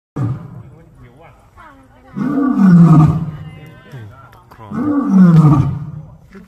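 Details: Lion at a zoo in Ubon Ratchathani, Thailand, giving two loud, deep roars about three seconds apart, each a swelling, falling groan, with low grunting between and a few spoken words from people nearby.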